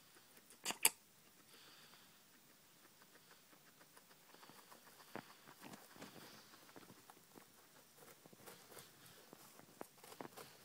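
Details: Pet guinea pigs munching cucumber at night: quick, crisp chewing clicks building in density after a sharp knock at the start, in a quiet indoor space.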